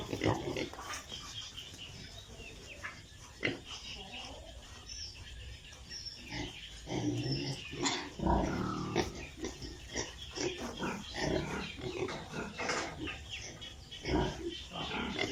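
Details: Piglets on a pig farm in Italy grunt and squeal in short, scattered bursts over a steady barn hum.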